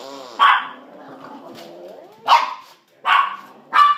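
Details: Two pet dogs, Sausage and Weenie, urged to get the kitty, let out four loud, abrupt barks spaced about a second apart over steady background voices.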